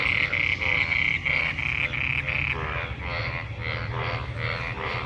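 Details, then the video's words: Frogs gathered in monsoon rainwater, calling while mating; quick series of bright buzzy croaks about three per second that soften after two seconds, over a steady rough chorus. "Frog Sounds after monsoon rain,Sounds of toad Croak croak ! frog mating and love in rain"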